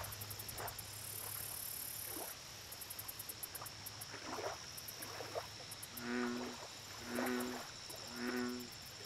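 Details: Lake recording of an American bullfrog giving three loud, low, buzzy croaks at roughly one-second spacing after a stretch of scattered short chirps from other frogs, with a continuous shrill insect chorus and distant rumble.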